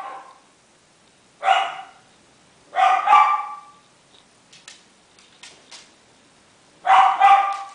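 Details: Four-week-old Miniature Schnauzer, male, salt and pepper, Shizuoka, Japan: isolated shrill yaps, then a doubled bark, soft rustling and taps, and another doubled yelp near the end.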